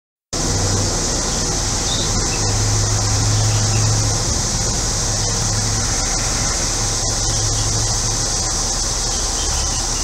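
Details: Cicadas on a hot day in central Illinois, a steady high, hissing drone that holds without a break, over a neighbour's humming air conditioner and low rumbling noise.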